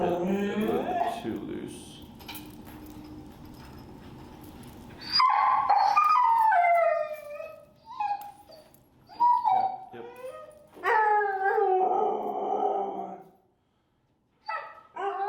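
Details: Finnegan, a very vocal feral dog in his first training class with a Chicago trainer, being introduced to an e-collar: a man talks at first, then long high whines and whimpers rise and fall in drawn-out bursts, with short pauses between.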